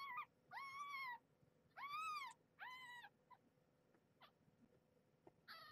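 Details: Kittens fighting over nursing spots with their mother Marge, a rescued stray; Maggie defends her place and voices displeasure. Three long, arched, harmonic meows about a second each, followed by faint short squeaks and one more rising cry.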